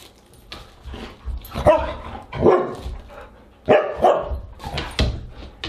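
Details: Siberian husky vocalising at dinnertime on August 30, 2022: several short, harmonic, yelping barks in loud bursts, with pauses and some shuffling indoor noise between them.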